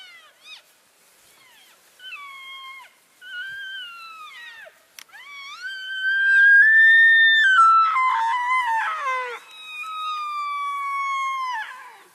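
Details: Elk herd moving from one grazing area to another, keeping in touch, recorded February 3, 2012. High, squealing whistled calls with rich harmonics, some held and gently falling, several overlapping into a loud cluster midway, then a long sliding call.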